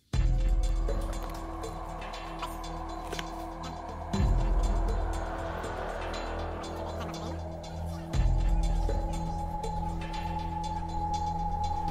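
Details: Background music over a low droning hum, with sustained tones and rhythmic pulses, and no barking or other animal voices.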